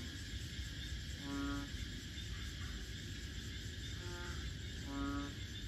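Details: Wetland frog chorus at Bình Quới, Thanh Đa island, Ho Chi Minh City: three low, nasal, harmonic croaks, each about half a second long, spaced unevenly, set against constant buzzing insects and distant low rumble.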